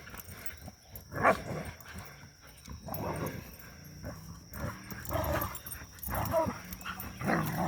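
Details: Three pups roughhousing after three days of rain; quiet scuffling broken by several short growling snarls and yips, a few louder bursts spaced a second or two apart over a faint constant high tone.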